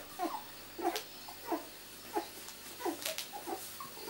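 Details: Two-week-old miniature Labradoodle puppies from Rosie's litter, born 31 July 2009, indoors: short high squeaks repeat roughly every two-thirds of a second, with faint rustling in a small room.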